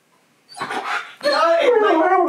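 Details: Siberian Husky Keyush, called Key, indoors, vocally arguing with his owner while she eats and refuses him food. A short voiced burst, then a drawn-out, wavering, harmonic whine with a talking-like rise and fall. A woman's voice may be mixed in.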